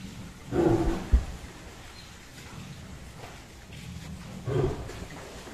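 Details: A large captive Bengal tiger at Dehiwala Zoo, Sri Lanka, trying to attack a man, gives two deep, rough roaring bursts several seconds apart.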